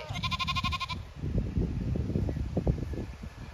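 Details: A Zwartbles sheep from a flock on a regenerative County Kilkenny farm in Ireland, awaiting a move to fresh pasture, gives one clear, quavering, pulsed bleat lasting about a second, followed by low rustling and thumping.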